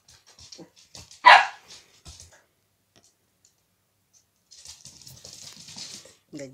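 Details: Three-and-a-half-month-old Corgi puppy Bono Boneyra iz Imperii Adamant at a water bowl lets out a single sharp bark, followed by quiet clicks, then a stretch of hissy splashing and a brief voice.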